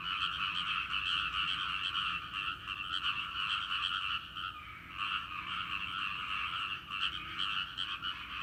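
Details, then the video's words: Frogs in a rice paddy chorusing, the calling that stops at a person's presence and gradually resumes; dense rapid croaks run on, briefly thinning around the middle, then return strongly. "カエルの合唱！】季節の風物詩、カエルの鳴き声 人の気配でピタリと止んで"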